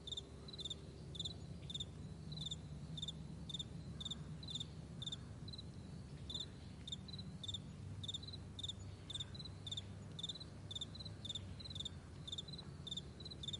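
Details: Crickets on a vast meadow in the morning, trilling in short bright pulsed chirps, several overlapping callers repeating roughly twice a second, over a steady low rumbling background hum.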